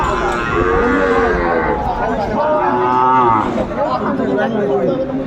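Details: At a Chittagong cattle market in Bangladesh, January 2025, Sahiwal bull calves being sold. Two nasal moos rise and fall in quick succession amid haggling buyers, steady crowd murmur and faint background music.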